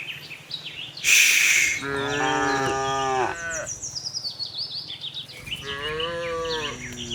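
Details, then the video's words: Tame cows roaming a cattle farm looking for fresh grass; two moos, the first long and wavering, the second rising, amid busy chirping birds and a brief loud hiss near the start. "cute tame herd of cows - looking for grass, cow mooing sound"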